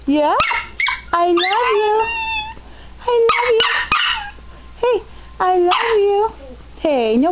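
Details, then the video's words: Dog learning to voice "I love you": rapid run of yodel-like whines and yips, pitch swooping up and down, repeated in close bursts across the recording. "talking dog i love you"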